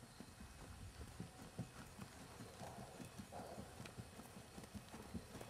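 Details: Rhythmic hoofbeats of Jerry, a 15.3-hand, six-year-old 3-gait Tennessee Walking Horse, keg-shod and naturally moving: quick, regular low knocks repeating several times a second, some louder clacks, over constant background hiss.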